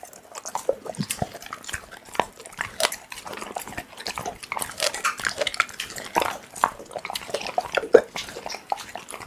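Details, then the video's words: Raw meat being chewed by a pit bull, heard as a steady stream of sharp, moist crunches and slurping bites with no pauses, close and indoors. "Pitbull eating raw meat Asmr"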